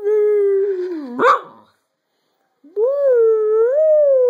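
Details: Pet dog joins its owner in pack howling: a sustained tonal howl gently sliding downward, a short rough break, a silent pause, then a second steady howl that swells and wavers in pitch.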